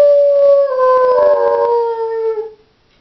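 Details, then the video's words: Lone female Doberman at home gives a loud, sustained howl that slides gradually downward in pitch over about two and a half seconds before trailing off into quiet. "Howling Doberman"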